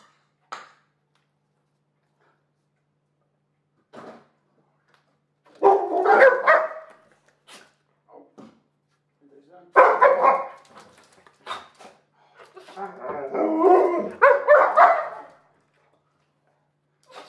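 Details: Two Alaskan Malamutes at feeding time. Short scattered yips give way to three longer, throaty, harmonic vocal bursts, each about a second long, separated by brief quiet gaps.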